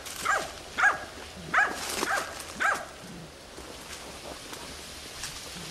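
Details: Tina, a hunting dog, chases and bays at young wild boar during training. Five quick, sharp barks open the segment, then barking stops and a hissing, rain-like rustle of outdoor noise fills the rest.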